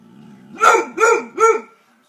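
A German Shorthaired Pointer gives three loud, harmonic barks in quick succession, each rising then falling.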